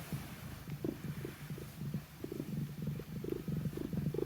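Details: Domestic cat named Q purring while kneading beside a sleeping cat named Pon; low, steady rumbling purr with soft rhythmic pulses throughout, quiet indoor background.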